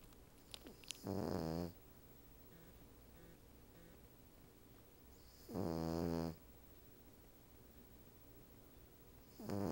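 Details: A female Cavalier King Charles Spaniel napping on the back of a couch at night, a Siamese cat beside her, snores with long, harsh, rattling breaths under a second each, roughly every four to five seconds, quiet background.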